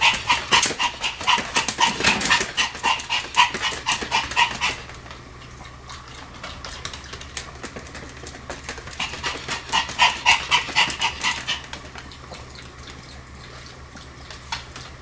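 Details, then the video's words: Sam the Pomeranian, spinning very fast, lets out bursts of quick, high, repeated yapping for about five seconds, goes quiet, then resumes another run of rapid barks before fading to a low hum. "超高速回転 ポメラニアン サムの連続吠え"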